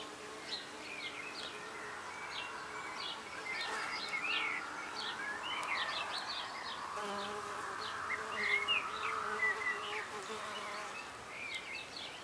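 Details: Female red orchard mason bees at a back-garden nest block of recycled oak with 8mm holes, which they adopted within days. A faint, steady hum rises midway and is layered under busy, high twittering birds.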